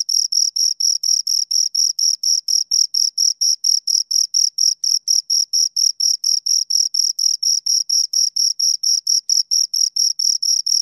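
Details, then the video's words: Two crickets stridulating in a continuous series of shrill, evenly timed chirps, about two each second, steady in loudness and pitch, nothing else audible. "Two Crickets Chirp Sounds"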